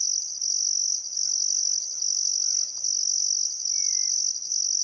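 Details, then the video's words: Shrill trilling of crickets on a still summer afternoon by the Barcoo River at Welford National Park, Outback Queensland, Australia, at sunset: high, even bursts roughly a second long with short breaks, a faint rising bird whistle near the end. "Australian Sunset Chirping Crickets"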